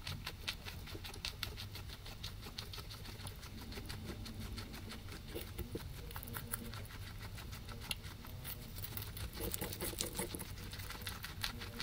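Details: Pair of guinea pigs munching grass, captured with a ZYLIA ZM-1 array: steady, fast crackling bites repeating many times a second without a break, with a faint low rumble underneath.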